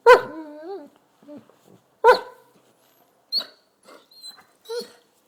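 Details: Basset hound barking to wake its owner in the morning: two loud, drawn-out baying barks with a wavering tone about two seconds apart, followed by shorter, fainter yelps and whimpers.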